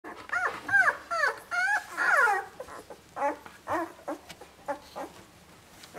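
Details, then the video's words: Ten-day-old Labrador Retriever puppies squealing and whining indoors: a quick run of high, wavering, arched cries packed into the first two and a half seconds, then shorter, softer whimpers spaced out after a pause. "Labrador puppy's: 10 dagen oud"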